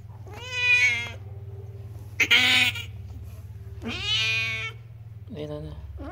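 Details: Domestic cat about to give birth, in a village, giving repeated drawn-out harmonic meows, four calls in about six seconds, some rising then falling, over a steady low hum and faint voices.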